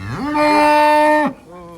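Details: A very thin cow, described as nothing but skin and bones, gives a loud, level, drawn-out moo of about one second, then a short, quieter, lower groan.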